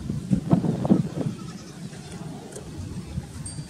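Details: Male and female village goats mating: a quick burst of short, nasal bleats pulsing in the first second and a half, then fading into quieter background noise.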